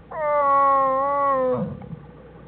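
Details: Wild American black bears in their den on January 1, 2013, the mother Jewel with her cubs Fern and Herbie, studied by the Wildlife Research Institute: a loud, steady, tonal cry with rich harmonics holds level for about one and a half seconds, then cuts off.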